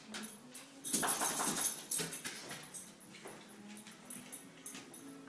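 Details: A dog coughing: one harsh, breathy burst lasting under a second, followed by a few softer short huffs and quiet rustling.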